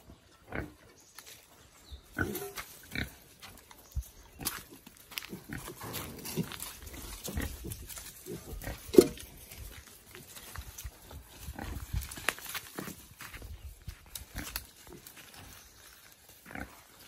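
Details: Small young wild boar released into nature, foraging by instinct; scattered soft grunts and snuffles among crackling rustles and clicks, with one sharp loud knock partway through.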